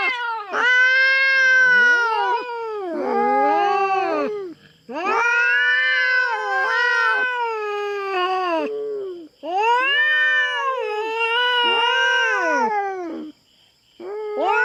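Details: Feral cat fighting over territory with a black cat on a Philippine farm; powerful repeated caterwauls, about three long wailing bursts each lasting several seconds, rising then sagging in pitch, with overlapping lower moans.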